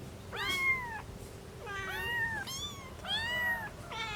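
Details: Domestic cat from a household with a mother cat and three kittens, giving repeated clear meows, each rising then falling, about four in four seconds, with a faint steady hum underneath.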